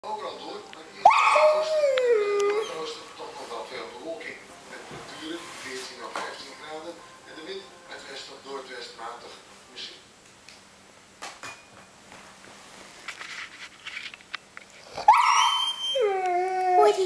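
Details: Six-month-old Bernese Mountain Dog puppy sitting up and talking back to its owner indoors: drawn-out, whiny, yodel-like vocalizations that slide downward, heard near the start and again at the end, with the owner speaking and faint background music in between.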